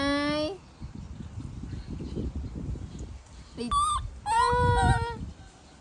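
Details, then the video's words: Baby monkey throwing a tantrum as its mother leaves: a loud harmonic scream at the start, then a sharp rising squeal and a longer shrill, wavering scream near the end, over a low rumbling background. "Adorable Baby Monkey Tantrum When Mom Leaving"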